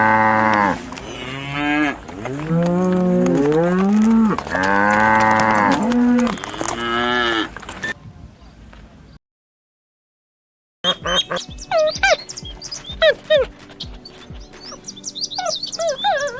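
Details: Cattle mooing: a run of long, loud, wavering moos over about eight seconds, several rising then falling in pitch, followed by a short silence and then unrelated chirping and clicking sounds.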